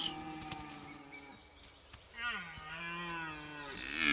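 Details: Male red deer in the autumn rut, calling where the air is heavy with the scent of females. Fairly quiet at first. Then a sustained, harmonic bellow rises and holds through the second half, with a louder swell at the end.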